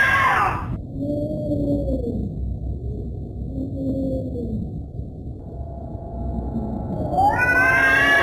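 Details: Domestic cat giving drawn-out, wavering yowls that rise and fall in slow arcs, several in a row. A loud, harsh burst opens the sequence and another closes it, with a steady low hum underneath.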